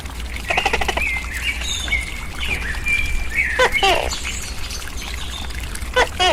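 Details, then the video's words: Captive tokay gecko gives a double croaking call, a clipped note then a buzzy harmonic one, followed later by a single short note. Drawn-out bird whistles and faint rapid chirps fill the gaps. "Nghe Tắc Kè Kêu"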